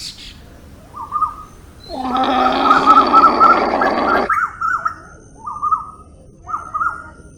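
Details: Llama, a domesticated South American camelid: one loud, harsh, nasal cry held steady for about two seconds, rich in layered tones, while short warbled bird chirps repeat before and after it.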